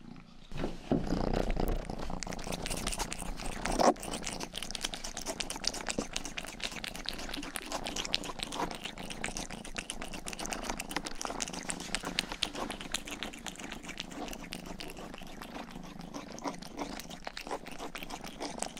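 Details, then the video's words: Youngest house cat Rang-i purring close-up indoors, a soft continuous low hum beneath steady crackling lick strokes as the cat grooms ears, with a sharper tap early on. "Purring & ear licking sound"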